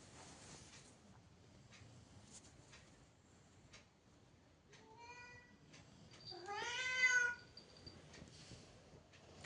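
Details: House cat indoors calling twice: a short soft meow, then a louder, wavering meow about a second later, amid quiet household rustling.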